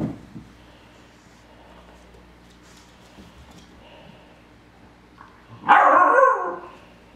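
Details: Tug-of-war play indoors between twelve-week-old Airedale Terrier puppy Punch and four-year-old Lola: mostly quiet, then one loud, harsh bark bursts out near the end, lasting under a second, over a low steady hum.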